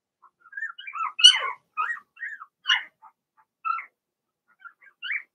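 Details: Blenheim Cavalier King Charles Spaniel puppies from Remy's first litter of six, indoors in a puppy pen: a run of short, high, wavering squeaks and whines, some rising and falling, spaced irregularly over five seconds with quiet gaps.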